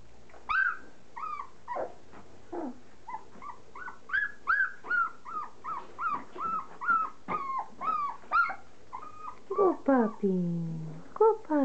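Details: Standard poodle puppies aged three and a half weeks during their first meal of softened puppy kibble; loud, steady run of high squealing whines roughly every half second, ending in a long descending cry, with a person speaking softly.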